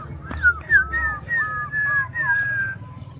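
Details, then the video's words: Playing puppies cry in a run of clear, high-pitched whines, each drawn out and bending slightly downward, several overlapping in quick succession against a faint low hum. "Puppies playing and crying"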